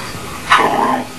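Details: Pet dog vocalizing toward its owner in a 'talking' exchange: one brief drawn-out whine-like yowl, bursting then trailing off in a steady tone, between a person's repeated spoken 'hello' greetings.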